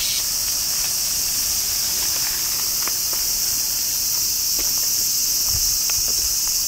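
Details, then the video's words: Steady shrill buzzing of many cicadas behind Himeji Castle, Japan, an unbroken high wall of sound with scattered soft ticks below it. "Himeji cicadas"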